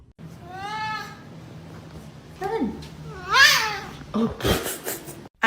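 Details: Domestic cat meowing indoors: a drawn-out tonal cry with stacked harmonics, followed by shorter arched, wavering meows, over a steady low hum with a person's voice nearby.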